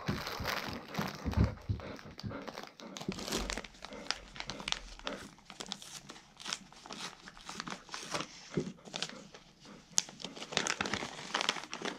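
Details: Indoors, paper or plastic crinkles and tears in quick bursts, with a little speech and no clear animal voice.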